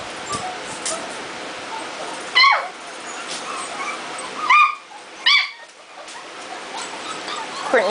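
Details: Lively litter of Jitterbug puppies just over a month old: three short, sharp yelps, each dropping in pitch, spaced a second or two apart over steady background hiss, with faint squeaks and a person talking nearby.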